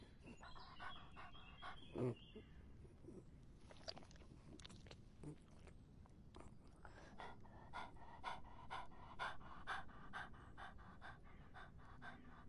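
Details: A dog drinking during hot summer weather. Scattered wet clicks and splashes open the clip, then settle into quick, fairly regular lapping, roughly two strokes a second, over a quiet low background rumble.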